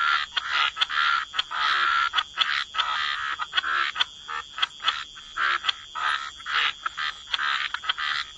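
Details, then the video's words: Waterside chorus of croaking frogs: grating, rattling croaks overlapping in irregular bursts from many animals, with a thin high ringing tone running throughout. "Relax to the Sound of Croaking Frogs"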